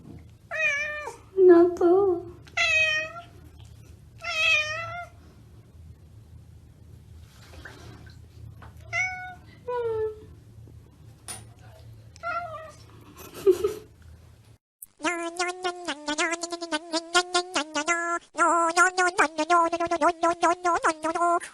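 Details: Domestic cats in a compilation of scared cats making weird sounds: a string of short, bright, rising-and-falling meows with pauses between them, then a long, steady, unbroken wailing cry, indoors.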